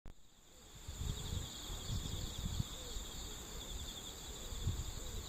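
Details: On the morning of 11 September 2013, singing insects hold a steady, shrill, unbroken trill of high notes over a low background rumble.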